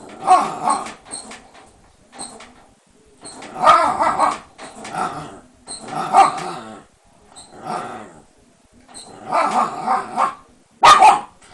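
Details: Sora, a mischievous Shiba Inu confined behind lattice panels, lets out rough barks mixed with gravelly growls in repeated bursts roughly every one to two seconds, ending with one sudden loud yap.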